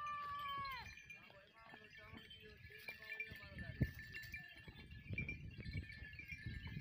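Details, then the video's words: Goats meeting sheep: one clear, loud bleat with a steady, sustained tone that drops slightly at its end, opening the recording. Quieter bleats and rustling follow, under constant tinkling wind chimes and low wind rumble. "Goats and goats meeting with sheeps and sheep with sounds"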